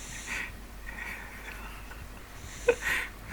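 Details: Neil the pug asleep indoors, producing a soft, breathy wheezing snore: three hissing breaths spaced about a second apart, the last with a brief snort, over a quiet room hum.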